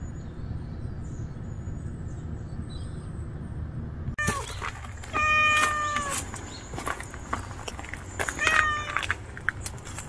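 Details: Nureongi, a timid mother street cat, gives a few harmonic meows in the second half, one drawn out and another short, with clicks, rustling and a low background hum.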